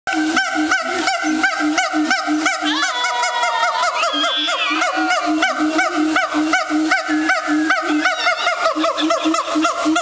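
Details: A siamang at Woodland Park Zoo, Seattle, gives loud, honking calls in quick succession, with a few sharply rising whoops.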